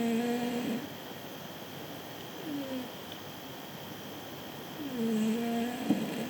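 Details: Sleeping cat snoring indoors: soft tonal nasal hums with low pitch that bend and slide, each snore lasting under a second and recurring roughly every two and a half seconds over a steady room hiss.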